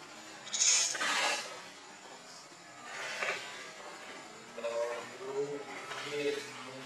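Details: A hungry baby monkey crying and begging its mother for milk. Harsh, noisy bursts come early, then a run of short, wavering tonal cries repeats toward the end.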